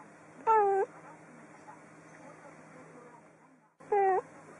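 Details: Cat giving two short, clear meows about three seconds apart, each brief and slightly falling, over a steady low background hum.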